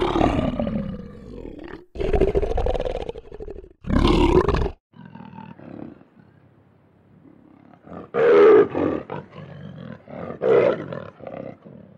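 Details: Lion roars in uneven bursts: a long moaning call, two powerful roars, a quieter murmuring stretch, then two more sharp roaring bursts near the end.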